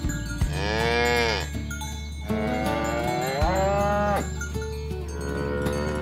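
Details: A herd of cattle being driven toward their pen through a rice field ditch in a village setting. Two long, loud lowing moos rise and fall, the second drawn out and wavering, over a steady low engine-like hum with faint bell tinkles.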